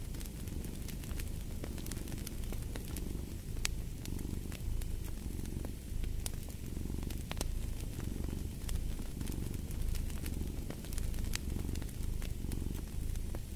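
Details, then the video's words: Steady rhythmic purring from a cat, each swell of rumble lasting about a second, repeating evenly, set against a crackling fireplace with scattered sharp pops. "Fall asleep to the Purring of a Cat & Fireplace"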